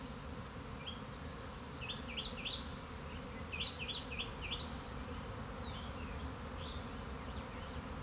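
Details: Honey bee swarm on March 26, 2021, a keeper's own bees: a constant low droning buzz, overlaid by clusters of short, sharp bird chirps in quick runs of three or four.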